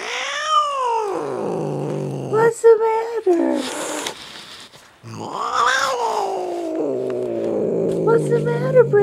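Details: Jinxie, a pet cat resisting being pulled from under a chair, gives drawn-out wavering howls broken by brief clattering, then a second long sliding yowl that trails into a low moan; a person's soft coaxing voice in between.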